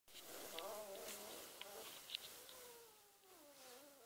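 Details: One-week-old Beagle puppies in a litter give thin, whining cries that slide downward in pitch, two drawn-out wails with faint rustling between them.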